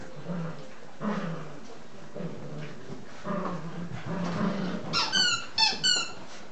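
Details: Evening play among nine-week-old English Cocker Spaniel puppies: low grumbling growls for several seconds, then a quick series of three or four sharp, high-pitched yelps near the end, over rustling and movement noise.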